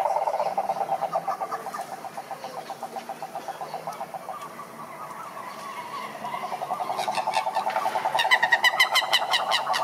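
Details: Several cane toads (sapo cururu) at a lake in Brazil's Atlantic forest. Overlapping pulsed trills hold a steady mid pitch. Rapid high-pitched clicking bursts from another caller rise near the end.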